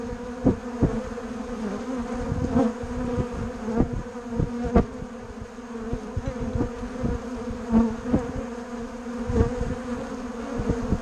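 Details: Mixed bumble bees and honey bees humming continuously, a dense low drone rich in overtones, punctuated by frequent short clicks and taps as insects move about close by.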